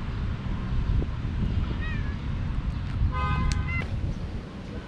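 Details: Mother cat with her four kittens: a faint rising mew near two seconds, then a clearer short harmonic meow around three seconds, both over a loud steady low rumble like traffic, with brief clicks.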